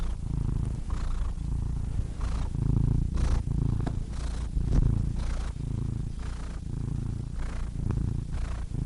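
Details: Cats purring steadily in a low, rumbling drone that pulses about four times per second, with soft breathy swells rising and fading between pulses; no other sounds stand out.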